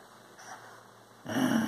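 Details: Maltese Shih Tzu playing tug of war: near silence, then a sudden loud, low, rumbling growl that carries on unbroken through the final half second.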